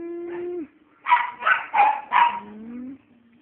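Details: Pet dogs giving four sharp, harmonically rich barks about a third of a second apart, then a drawn-out rising whine; a steady low tone opens the sequence.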